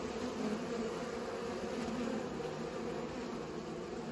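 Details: Short burst of bees buzzing as they pollinate, a low humming drone with slightly wavering wingbeat tones.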